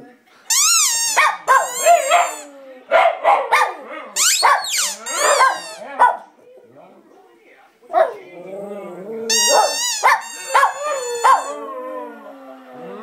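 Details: A 2-year-old Lhasa Apso "sings", howling in wavering, drawn-out yips and whines that slide up and down in pitch.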